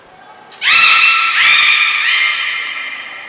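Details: Training session with belugas Gray, Nana and Mirai, Port of Nagoya Public Aquarium, 10 February 2024. A short high whistle is followed by a loud, sustained, richly harmonic call, steady in pitch, renewed twice before fading.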